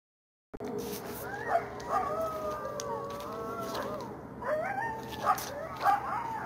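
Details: Wild coyotes calling from a forest at night under the September full moon, September 24: several animals give wavering, sliding howls broken by sharp high yips, voices overlapping, over a steady low background hum.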